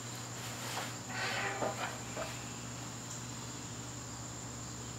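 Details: Garden crickets on a September evening keep up a steady, thin, high-pitched trill, while a few brief rustling bursts come early and a low constant hum runs underneath.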